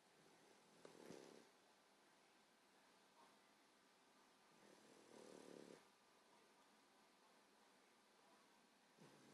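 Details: Female English Bulldog puppy, 14 weeks old, snoring loudly while asleep: soft, breathy, rasping snores recurring every two to four seconds over a steady background hiss.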